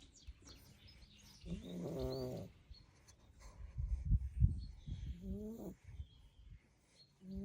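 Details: A Staffordshire Bull Terrier puppy, asleep after playing hard, snores in low, rumbling breaths with a few whiny, nasal tones.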